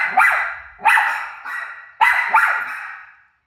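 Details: Household dog barking at its own barking heard from a television; three or four forceful barks close together, the last one drawn out and fading.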